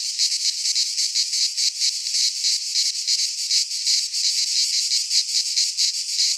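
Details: Cicadas singing in midsummer in a pine forest in Greece; a dense, harsh buzzing chorus, high and shrill, throbbing in quick pulses several times a second with no other sounds.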